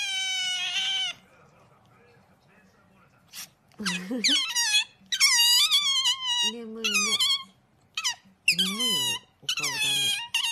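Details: Pet otter indoors making high, bright squeaking chirps in rapid bursts, some wavering and falling, alternating with lower harmonic squeals; a woman speaks softly in Japanese at the start.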